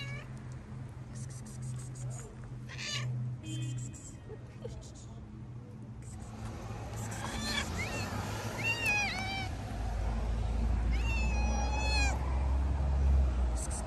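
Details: Hungry stray cats, a tabby and a ginger, on the street being fed. Rustling and handling noise come first, then a run of rising-falling harmonic meows from about seven seconds on, several in quick succession, over low rumbling background.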